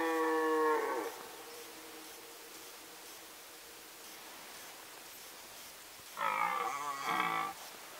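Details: Rutting red deer in the Sandomierz Forest, 2018. A harmonic roar fades out at the start, then a quiet forest pause of several seconds, then a second strong, wavering bellow lasting over a second.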